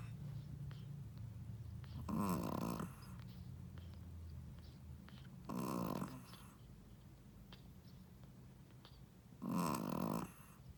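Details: Sleeping Shih Tzu mother, a first-time mom, snoring in rasping bursts under a second long, roughly every three to four seconds, three snores in all with soft breathing between.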